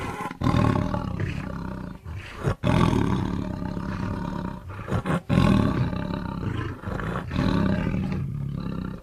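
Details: Tiger roaring in long, throaty, gravelly bursts of low rumbling sound, separated by brief gaps, roughly one burst every two seconds.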